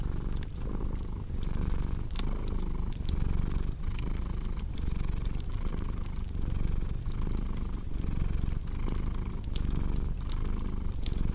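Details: Domestic cat purring steadily beside a cozy crackling fireplace, a low continuous rumble pulsing in even cycles about every second, with sharp scattered pops and crackles from burning wood throughout.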